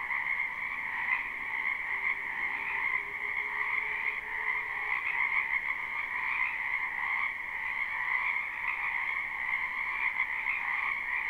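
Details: Wetland frogs in spring forming a thick, even chorus of croaks, captured live without looping; steady layered trilling throughout, with a faint low hum drifting in the background early on.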